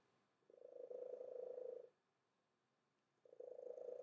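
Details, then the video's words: Domestic cat with an unusually loud purr it has always had: two steady, buzzy, low rumbling bursts, each lasting about one and a half seconds, separated by a quiet pause, with little else audible. "Loud Purring Cat"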